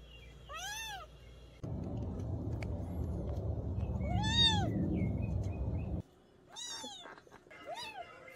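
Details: Young cat from a countryside mountain home meowing three or four times, short arched cries rising and dropping, while a loud low rumbling noise covers the middle stretch of the recording.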